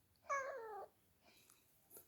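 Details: Drowsy female cat carried around indoors utters a single clear, steady meow of about half a second that sounds like a baby, followed by quiet room noise and faint handling sounds.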